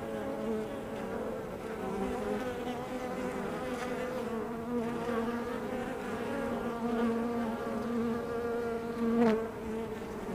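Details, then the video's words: Honey bees at a hive entrance: a dense, continuous droning buzz from many bees, with steady low hum tones and brief louder swells as individual bees fly close past. "Honeybee Hive Entrance"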